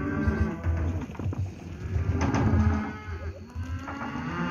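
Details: Steers from lot 17 at Lago Escondido, overlapping low moos amid steady low rumbling and clatter, several animals calling at once.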